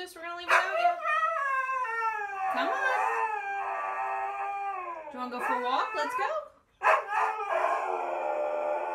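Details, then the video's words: Siberian Husky "talking" in a long, continuous howling vocalization, rich in harmonics, wavering up and down in pitch with sliding, yodel-like inflections for about nine seconds, broken by a short pause near the end. "Funny Husky Videos Talking"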